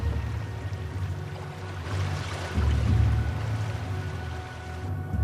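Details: Low rumbling water and soft background music, with no animal call heard.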